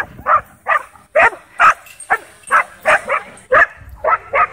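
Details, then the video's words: Frenzied dogs at a dog park barking at a DJI Mavic 2 drone overhead: a fast, steady string of short, sharp barks, about two per second, with little else audible. "DJI Mavic 2 Drone Whips Dogs Into Wild Frenzy At Dog Park"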